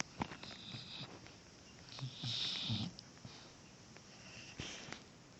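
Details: Sleeping puppy snoring softly indoors: faint snuffling breaths, one louder, wheezy, hissing snore swelling for about a second in the middle, then quieter sniffs and a short breathy rasp near the end, with low room hiss throughout.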